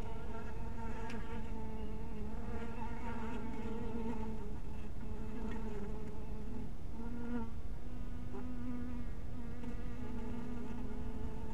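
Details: Scattered honey bees around a little hive at twilight: a sustained droning buzz whose low tone shifts up and down as bees fly past, with several louder close passes in the second half.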